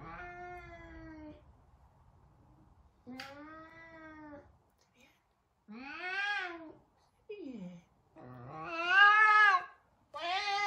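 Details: Savannah cat Sabian, very vocal, repeatedly meowing as he tries to find Sabina indoors; about six meows of varying length, some flat and steady, others sharply arched and rising, the last ones loudest and shrill.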